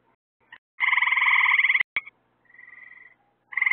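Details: At night near lights hung to attract bugs for frogs, one frog gives a long, rattling buzzy trill of about a second. A brief click and a weaker, distant trill follow before another loud trill starts.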